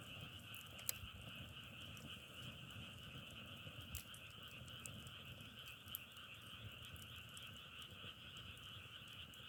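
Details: Continuous frog chorus, a level, finely pulsing trill with a lower companion band, never pausing, while occasional sharp snaps and pops of a wood fire break through a soft low-frequency hiss.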